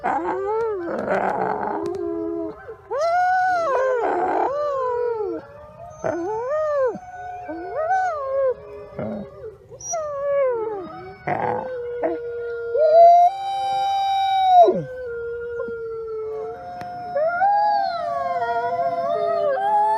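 Several wolves howl together, their long tonal voices rising, bending and overlapping in a wavering chorus.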